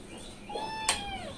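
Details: Cat meowing while waiting to be given milk, a single long steady meow falling slightly at the close, with a sharp clink partway through.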